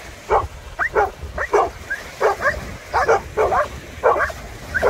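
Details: Maremmano-Abruzzese Sheepdog playing with a Golden Retriever by the Black Sea: short, sharp barks and yips in quick bursts, about two every second, over steady background rumble.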